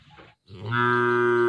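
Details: Brief cow moo starting after a faint rustle, then swelling into a loud, steady, deep harmonic drone that holds to the end.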